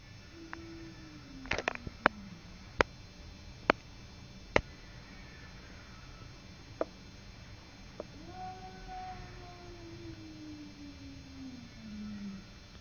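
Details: Simba the cat squaring off with a neighbour cat: sharp clicks and knocks early on, then a long, low, wavering yowl that slowly falls and swells again toward the end.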